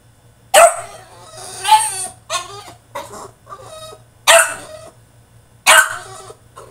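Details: Caged male French Bulldog in a tantrum, letting out sharp, raspy barks and yips in quick clusters. Some break into strained whining, and the loud outbursts arrive roughly once a second at times.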